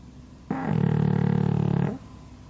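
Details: A pug asleep under a hanger rack, as usual, snoring loudly: one deep, buzzy, rattling snore lasting about one and a half seconds, strong and low-pitched, starting and ending sharply in a quiet room.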